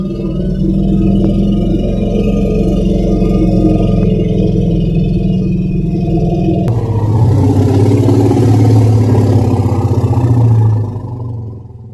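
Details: Loud, steady low droning like engines or a sustained synthetic tone that shifts in pitch partway through, then fades out, with no animal voice heard.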